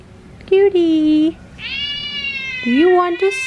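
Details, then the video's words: Jasper, a Persian cat indoors, ignores its owner while 'talking': a level drawn-out meow, a long steady meow, then a rising meow, as a person softly coaxes it with offers of food and the bed. "jasper persian cat ignores me ..talking cat"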